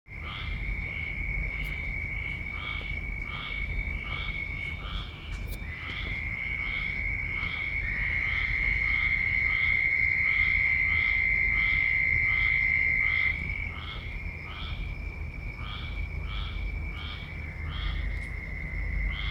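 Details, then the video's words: Very loud frogs calling in a dense, steady series of short, bright notes, about four per second, continuing throughout, over a continuous high, even whine and a low background rumble. "very loud noise frogs"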